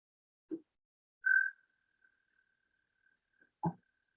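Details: American toads give their breeding call from a pond on a golf course in Lansing, Michigan, at 3 a.m.: a steady, high musical trill that starts loud from a nearby toad, while others call faintly from a more distant pond.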